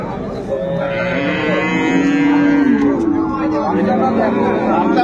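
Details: At Ambari haat in Dinajpur on 10/2/25, where improved-breed milking cows and calves are sold, a long mooing call swells and slowly falls over about two seconds amid voices and faint music.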